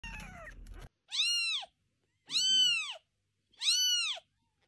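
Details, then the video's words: Kittens meowing indoors: three clear high, arched mews about a second apart, each rising then falling, after a brief burst of low rumbling noise at the start. "Kittens Making Different Sounds"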